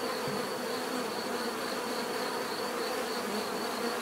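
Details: Steady drone of many bees, an unbroken buzzy hum without pauses, overlaid by a faint pulsing high whine.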